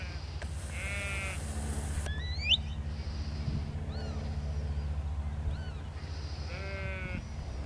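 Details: Sheep worked across a field by Border collie Lars: two separated tremulous bleats, one early and one at the end, fairly soft, with thin rising bird chirps in between and a constant low rumble of wind.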